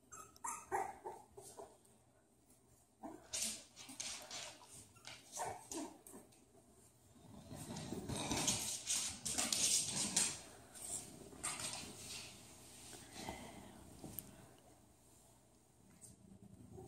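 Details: Bulldog puppies making scattered short yips and whimpers, with a louder burst of noisy activity and rustling around the middle, then quieter broken calls.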